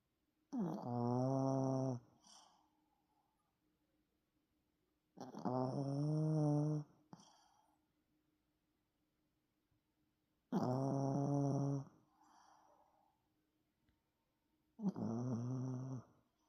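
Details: Yorkshire Terrier named Tan, snoring while asleep indoors: four loud, nasal, droning snores, each about one and a half seconds long, coming every four to five seconds with quiet breathing between them in a small, still room.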